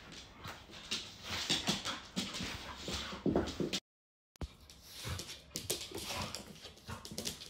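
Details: Indoors at home one evening, an American Bully puppy named Viper romps roughly with Jena, an adult American Staffordshire Terrier; thin whimpering cries and breathy yips rise among scrambling, clattering play noises, broken by a brief gap midway.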